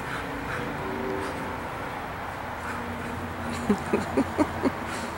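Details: Brown Standard Poodle puppy named Charm, five months old, at play; after a stretch of steady background noise, five short, sharp yips come in rapid sequence near the end.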